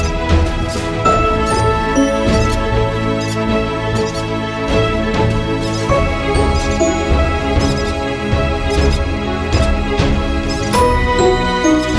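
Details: Loud continuous instrumental music with a steady beat fills the recording, and no animal sound is heard.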